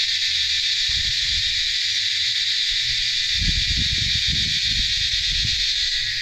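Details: Dense frog chorus in the rainy season at a farm stay in Mondalgaon near Kalimpong, a steady, high, hissing wall of sound.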